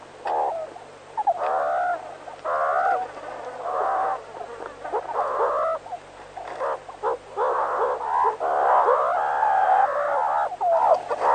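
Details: Meerkat (Suricata suricatta), calls.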